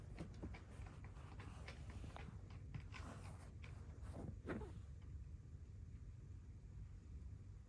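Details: Rescued kitten on its fifth day in volunteer care in Tama City, Tokyo, purring loudly while seeking affection: a steady low rumble runs throughout, with scattered clicks and rustling handling noises over the first five seconds.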